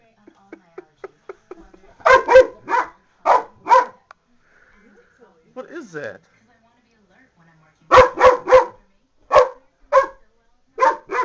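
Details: Pet dog barking at an empty salsa jar placed on the floor, having noticed it on the kitchen counter; bursts of sharp barks in groups of two to four, with a woman's voice speaking between them.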